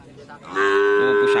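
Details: Cattle at karapan sapi bull-race training on the Asemanis field: a loud, steady, tonal moo starting abruptly and held for almost a second, rich in harmonics, cut off at the end.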